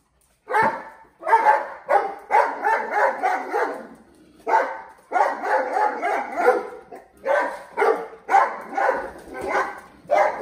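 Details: Several mastiffs barking while playing with balloons, rapid, fairly high, excited barks running in long volleys with brief gaps.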